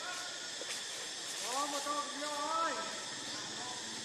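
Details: Hungry baby monkey named Lucie crying for milk, with foam at the mouth: a few drawn-out, tonal wails that rise and then fall, clustered mid-clip over a steady background hiss.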